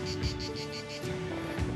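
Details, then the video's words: A cicada, almost the first heard on the second day of walking the Templiers path toward La Couvertoirade in Aveyron, gives a rhythmic pulsed buzz repeated in quick regular beats over a steady low background hum. "Quasiment première cigale que j'entends depuis mon départ. Merci pour ton chant, cigale."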